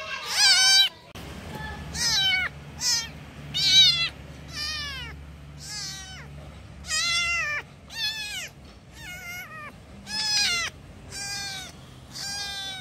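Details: Kittens calling for their mother give a run of high, harmonic-rich meows, each about half a second long and falling in pitch at the end, repeated roughly every second over a faint low hum.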